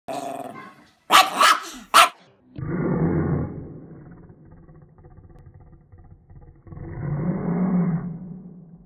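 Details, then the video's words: Chihuahua at Christmas gives a few sharp, noisy barks, then a long, low, rumbling growl that fades and swells again. "Killer Christmas Chihuahua"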